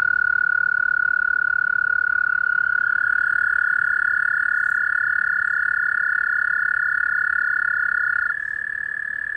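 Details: Many toads call in a side stream of White Clay Creek, Newark, Delaware, USA, on 6 April 2020. They hold long, even, musical trills at a steady pitch, and a second joins slightly higher, the two sounding together.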